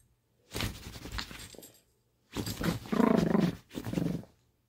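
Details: Lady, a pet Chihuahua, happy and then feisty at play indoors, gives two bursts of rough, throaty growling, the second louder and more tonal with a rising, snarling middle, separated by a short silence.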